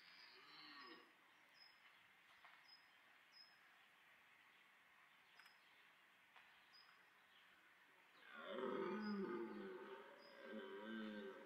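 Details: Red deer in autumn rut at Parc Sainte-Croix wildlife park; near-quiet woodland with faint distant bellowing for eight seconds, then a loud, deep, wavering roar followed by a shorter second bellow.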